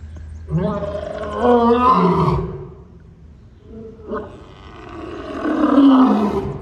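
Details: Two African lions, Brutus and Titus, are present; a lion gives two long, hoarse, moaning roars that swell and then fade.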